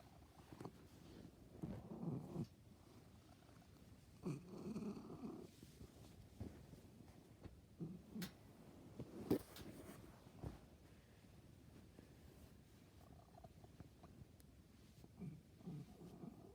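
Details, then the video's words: Domestic cat producing odd low throaty rumbles in short irregular bursts, a few sharp clicks and knocks scattered between them, otherwise a quiet background. "MY CAT MAKES STRANGE NOISES"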